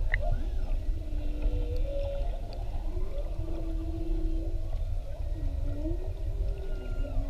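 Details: Whales recorded underwater with a GoPro off Maui, giving drawn-out tonal moans that rise and fall in smooth sweeping arcs, some wavering, over a steady low rumble of water and boat noise.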